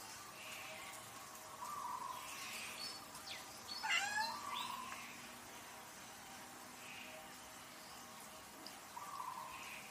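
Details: Cat meows recurring over a steady hiss of background noise, soft mews at intervals and one louder, strained, downward-bending cry in the middle.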